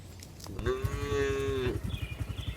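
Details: A single steady moo, about one second long, from a tame cow being herded back to the barn in the afternoon, followed by rhythmic low thumping, possibly hoofbeats.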